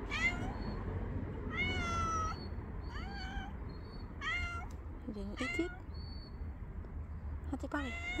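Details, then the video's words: Angry male cat whose meows are called adorable; a string of about six short, bright meows, some rising then falling, spaced across several seconds over low-frequency rumble, with a person speaking softly. "The Angry Cat Is Adorable When He Meows"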